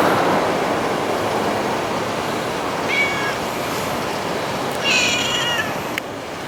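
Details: Community stray cat, filmed sometime from summer 2016 to winter 2017, letting out two brief meows, a quieter one followed two seconds later by a slightly longer one, against a continuous rushing noise.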